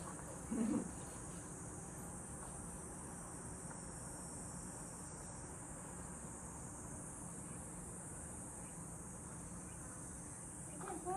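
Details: At a countryside house, cicadas keep up a continuous high-pitched shimmering buzz with no clear pauses, steady in loudness, with a brief voice near the start and a faint sound at the end.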